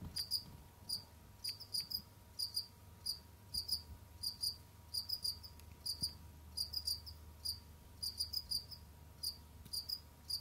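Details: Kept as pets indoors, Jamaican field crickets roam and dig while a continuous series of short, piercing chirps, frequently grouped in twos or threes, sounds over a faint constant hum and low rumble.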